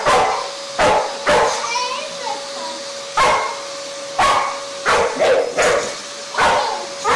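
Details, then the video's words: Dog barking at a vacuum cleaner: loud sharp barks repeated roughly every half second to second, over a steady machine hum, with some speech mixed in. "Funny Dogs vs Vacuum Cleaners"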